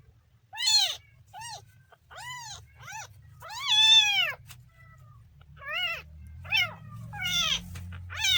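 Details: Kitten calling with bright, arching meows of varying length, one long drawn-out cry in the middle, the rest short and repeated, with a low hum underneath.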